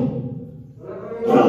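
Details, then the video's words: Sana, a lion at Hamamatsu Zoo, Japan, on 18 February 2023, calls back and forth with another lion, Tom: a loud, low, harmonic roaring burst that fades, then ends in a bright, rough surge. "トムさんと会話するサナさん ライオン"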